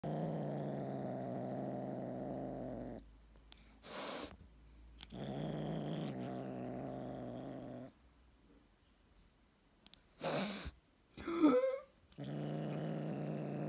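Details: Domestic cat in Ukraine growling to guard its stick from its owner; long, low rumbling growls of about three seconds each, broken by pauses, brief rustling bursts and one short higher wavering cry.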